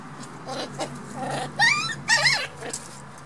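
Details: Black toy poodle puppies playing, with rising whiny squeals and rough growly vocal bursts in quick succession.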